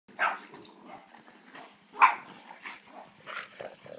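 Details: Rhodesian Ridgeback puppy, 18 weeks old, playing with neighbouring dogs outdoors: short, sharp yipping barks come in a loose series of four, the loudest at mid-clip, with softer huffs and scuffling between them.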